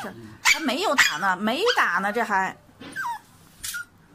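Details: Dog getting an injection: a wavering, drawn-out whining cry that rises and falls over about two seconds, then short higher squeaks, with voices nearby.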